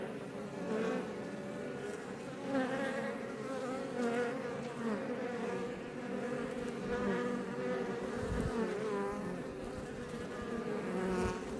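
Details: Close-up swarm hum of many honey bees, Apis mellifera iberica, outside a Langstroth beebox near Roquetes in southern Tarragona, Catalonia, Spain: continuous layered droning buzz that swells and fades as bees fly by, with a brief low thump late on.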